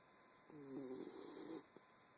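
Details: Ma La, a Wire Fox Terrier, snoring: one breathy, rasping snore lasting just over a second, with a faint harmonic buzz, over steady background hiss.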